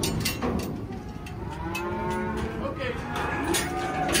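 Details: Highland cattle on a ranch homestead, one animal giving a drawn-out, tonal moo that swells in the middle, heard through heavy rustling and handling noise.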